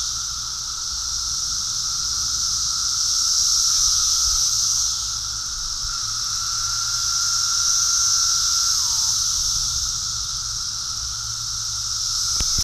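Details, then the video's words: Cicadas during a mass emergence in New Jersey fill the air with a high, hissing drone that swells and fades in slow waves. "Cicada invasion and song"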